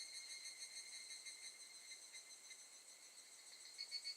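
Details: Short burst of evening cicada song, recorded at Gakujin no Mori campground in Tokushima, Japan, during August 2018: bright, metallic tones beating in quick, slightly uneven pulses, several per second, rising in strength at the end.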